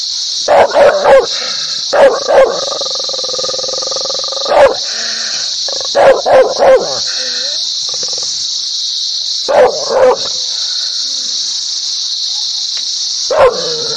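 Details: Dog barking loudly, described as happy, aggressive and angry: sharp, harmonic barks in quick clusters of two to four, separated by short pauses, over a constant high-pitched hiss.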